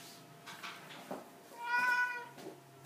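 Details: ['Single clear meow from a 17-year-old cat, about half a second long, tonal and slightly rising then falling, after a few soft rustles in a quiet indoor room.']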